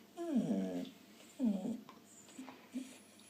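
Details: Female Australian Shepherd, four years old, being silly and making funny noises: two short whiny, warbling moans about a second apart, followed by a couple of faint low grunts in a quiet room.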